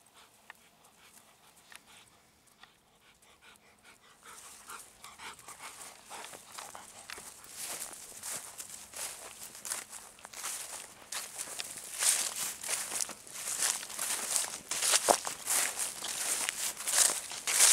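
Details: Golden Retriever returning home at dusk in a satoyama hillside village as the moon rises: quick breathy panting bursts, about ninety a minute, starting after four seconds and growing steadily louder and closer.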